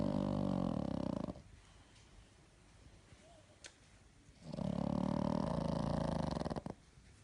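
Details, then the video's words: Sleeping pug snoring: two long, loud rasping breaths of about a second and two seconds, separated by a quiet pause of roughly three seconds with faint breathing. "Мопс храпит"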